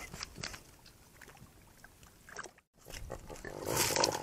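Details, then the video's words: Javelinas on a hot night in the Tucson, Arizona desert, caught by a trail camera while crowding a too-small pond to cool down, mothers with babies among them. Harsh, noisy grunts and squeals come in quick bursts, swelling into a louder scuffle at the end. "Javelina ++Disagreements++ Those Fangs!"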